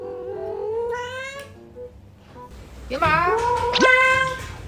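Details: Early-morning begging from Yuanbao, a house cat that has just eaten and still wants more: a long, slowly rising meow, a pause, then a second drawn-out meow that bends upward and then levels.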